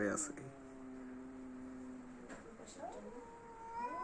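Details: Domestic cats in a standoff before fighting: a low steady drawn-out moan held for about two seconds, then rising wavering yowls, with human speech partly over it.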